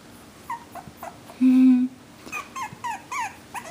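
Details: Havanese puppies from Cloe's new AKC litter of four, one girl and three boys, give short high whimpering squeaks, some rising and falling, scattered through the clip, with a brief loud low hum in the middle.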